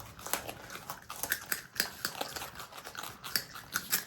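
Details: Pet marmot brothers, Himalayan and Alpine marmots kept together indoors, eating: crisp, crunchy chewing clicks in quick irregular bursts, roughly two to three bites per second, in a quiet small room.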